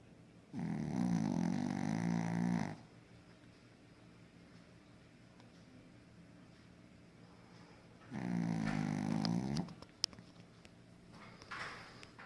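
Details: Pekingese snoring while asleep indoors: two long, rumbling, fluttering snores, each about two seconds, roughly six seconds apart, with quiet breathing between and a faint click near the end.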